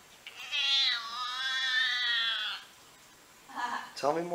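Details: Domestic cat making a weird noise: a sustained, high, wavering yowl of about two seconds, then a quiet pause and a short rising squeak at the end.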